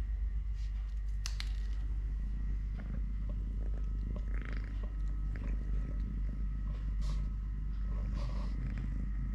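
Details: Totoshka, a three-legged pet cat, purring indoors while eating, playing, walking or play-fighting with a hand; a steady low rumbling purr fills the clip, with scattered clicks and brief rustles on top.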